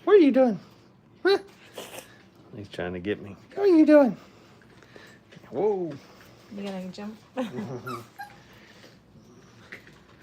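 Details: Five-week-old Brittany puppies playing at a training kennel, giving high, arching whines and short yelps that rise and fall in pitch, spaced irregularly a second or two apart, with human voices in the room.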